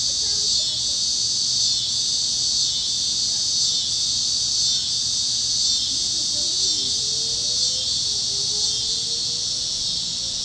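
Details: Cicadas chirping over Kansas fields at sunset on a warm evening, a continuous high buzzing wall with soft regular pulses, and a faint rising whistle from another critter midway.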